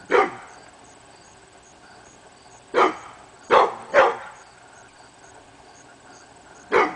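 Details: Pit bull named Hemi Bleu barking at nothing on the morning of August 22, 2012; a lone bark, then a pause, then a tight run of three barks and one final bark.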